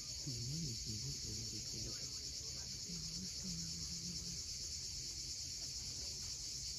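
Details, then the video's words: Cicadas on the steep coast of Crimea at Cape Fiolent at sunset give a constant high, hissing buzz; low warbling tones rise and fall early on, then a few flat ones follow, over quiet wave noise. "Cicadas at sunset."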